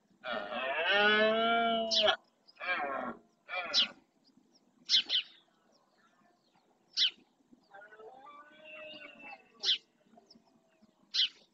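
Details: Rutting red deer males in the Doñana National Park marshland, Spain, bellowing to claim territory: a loud two-second harmonic roar, two shorter grunting calls, and a later softer drawn-out call, with sharp bird chirps scattered throughout.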